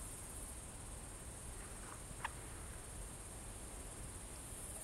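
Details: Crickets in the evening at Kolga, Estonia, 6 September 2018 at 20:26, keeping up an even, sustained high shrill buzz throughout, broken only by a brief soft tick just past two seconds.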